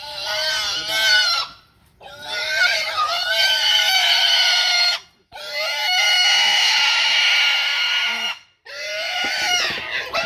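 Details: Wild boar piglet caught by hunters in Fakirhat, Bangladesh, squealing loudly: long, harsh, high-pitched screams in three drawn-out bursts separated by brief pauses, with men's voices nearby.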